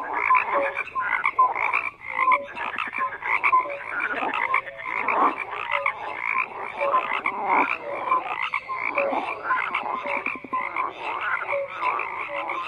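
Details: Croaking frogs fill the air with overlapping grating pulses and recurring short tonal blips, the chorus swelling and dipping but never stopping.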